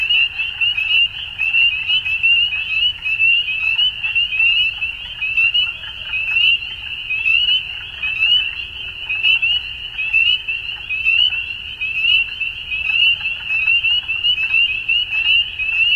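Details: Frogs at dusk in full chorus, an unbroken high-pitched trilling band with rapid overlapping pulses and scattered louder chirps throughout, over a soft low background rumble.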